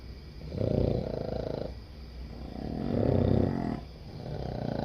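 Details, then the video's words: Boston Terrier asleep, one of seven dogs in bed, giving two soft, swelling snores with a fluttering rattle, rising and fading over about a second each. "What It's Like Sleeping With 7 Boston Terrier Dogs | SNORE-FEST"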